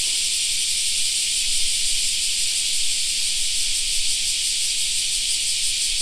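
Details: Cicadas singing in a summer park: a dense, unbroken high-pitched hiss of many insects, steady in loudness throughout, with no other clear sounds beneath it.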